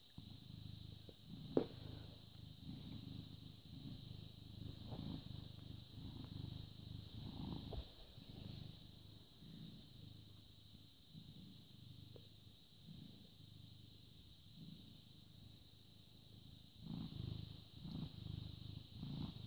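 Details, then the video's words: British Shorthair cat, born 18 August 2010, filmed 14 May 2017 at 09:16: a steady low rumbling purr that pulses continuously throughout, with a few faint clicks and brief rustles. "British Shorthair Cat purring"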